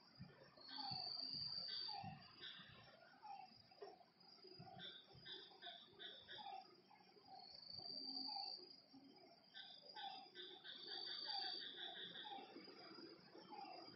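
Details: Frogs calling at night by a lakeside, short croaking notes repeated in quick uneven runs, some with a buzzy edge, over a dense high chorus of shrill trilling insects that swells and fades throughout.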